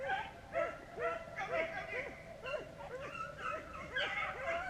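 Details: Beagles run rabbits during a hunt in Vera, Virginia. Repeated bawling bays from several hounds rise and fall in a rapid, irregular chorus, with a man's voice faintly mixed in.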